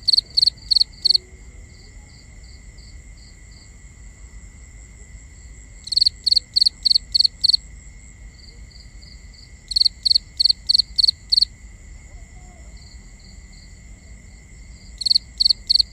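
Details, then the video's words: Binaural night ambience of crickets: a close cricket chirps in repeated bursts of five or six sharp high pulses, separated by pauses filled with softer distant chirping and a constant high insect drone. "Cricket Conversations | Binaural Nighttime Ambience"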